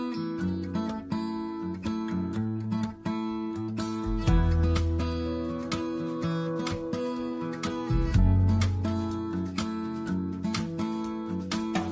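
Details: Strummed acoustic guitar music with steady rhythm and bass notes throughout, no animal sound heard.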